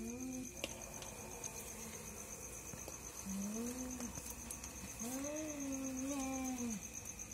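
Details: Two cats fighting at night, heard as quieter low drawn-out yowls that swell and waver, one long warbling wail near the end, over a thin constant high electrical whine.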